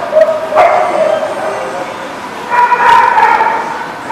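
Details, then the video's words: Dog recorded June 14, 2019 at a place called the Barking Lot, giving a brief sharp yelp early on, then a longer cluster of tonal, whining barks after a pause, over a steady noisy background. "The Barking Lot"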